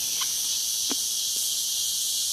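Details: Cicada song in a rural Brazilian setting: an unbroken, high, hissing drone at steady volume, with a few faint clicks beneath.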